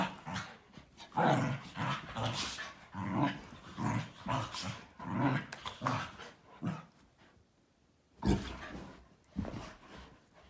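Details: Three dogs, a Malinois, an Akita and a Corgi, wrestling in a daily morning play session; rough, low growls and grumbles come in repeated bursts about every second, with a short silence near the end before more growling.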